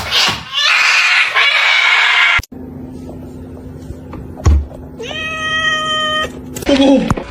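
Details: Domestic cat in a funny pet compilation giving a long, steady, drawn-out meow with a strong harmonic tone, preceded by loud rustling and people talking indoors.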